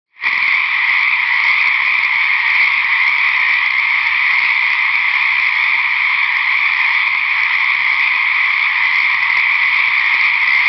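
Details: At night at a lake, frogs of uncertain species call unbelievably loudly in a steady, high, buzzing trill that carries on without a break.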